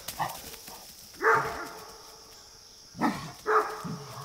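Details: Great Dane facing neighbourhood deer gives loud hoarse barks, a single bark then a close pair near the end, with faint shuffling sounds in between.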